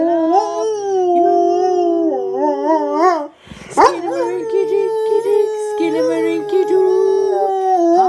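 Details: Duke, a Labrador and Great Dane mix dog, howls along at night in the household's routine sing-along with parrots. Long, sustained, wavering howls hold a fairly steady pitch, broken by a short noisy gap, with singing tones underneath.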